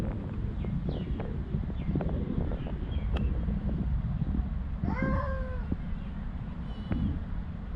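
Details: Homeless stray cat named Ed Sheeran in Ras Al Khaimah, UAE, gives one clear harmonic meow that slides down at its end near five seconds, then a short faint call about two seconds later, over a steady low traffic-like rumble.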